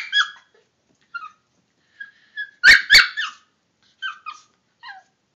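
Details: Toy Fox Terrier attacking an air freshener: short squeaky whines and yips, then two loud sharp barks in the middle, followed by more thin falling whimpers.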